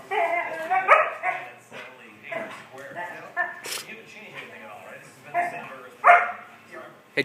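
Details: A female German Shorthaired Pointer gives odd, monkey-like "chimp" yips and squealing whines while harassing another dog, with a person talking and music behind.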